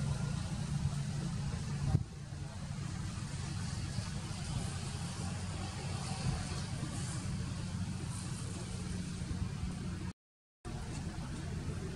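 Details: Steady low rumble of an idling vehicle engine with faint muffled voices, and a brief dropout to silence near the end.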